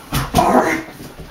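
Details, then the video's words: Lexi, a female Siberian Husky pet, vocalizing indoors in protest while her owners try to make the bed; a short whiny, talking-style moan rising then falling, preceded by two quick yelps. "Siberian Husky Won't Let Parents Make the Bed"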